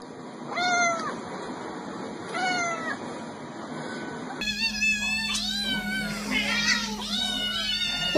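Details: Domestic kittens from a funny cat compilation, two falling meows over steady background hiss, then a busier stretch of overlapping high, wavering kitten meows with faint speech.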